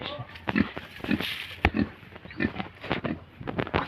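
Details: Duroc pigs at a farm in Sivasagar, India: short low grunts repeating roughly every half second amid clattering and shuffling noises.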